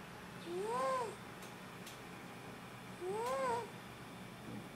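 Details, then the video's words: Pet cat snoring while asleep indoors, keeping its owner awake at night; two nasal, whistled snores, each rising then falling in pitch, about two and a half seconds apart, in a quiet room. "Snoring cat - Il mio gatto russa"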